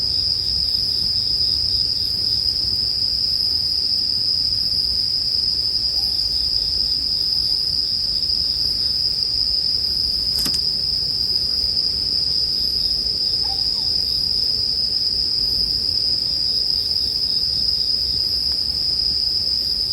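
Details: Bell crickets heard together with a crackling bonfire: a steady high ringing tone holds unbroken for the whole stretch, over a low, soft crackle of burning wood.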